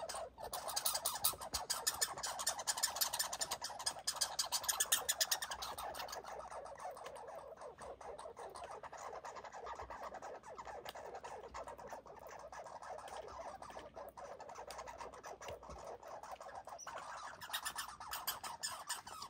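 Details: Barking of red squirrels during a fight: a dense, rapid chattering rattle of hard clicks, about three per second in clusters, louder and choppier early on, then settling into a steady, even buzz.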